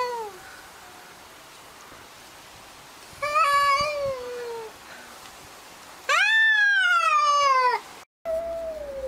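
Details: Quarrelling cats give a few drawn-out meows: a short fading one at the start, a mid-length descending meow near four seconds, and a louder arched wail after six seconds, with quiet room noise between.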